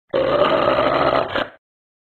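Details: Large angry dog growling: a single rough, harsh snarl held steadily for about one and a half seconds, then fading abruptly into silence, with no other sounds.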